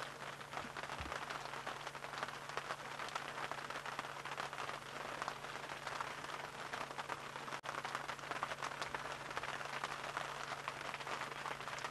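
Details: Steady rain patters on a surface with a low hum beneath, and no animal calls stand out.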